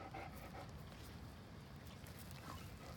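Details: Hercules, a 190-pound Great Dane, pants while being coaxed to sit for a cookie: soft, breathy, rhythmic huffs repeating about every half second, with quiet background hiss.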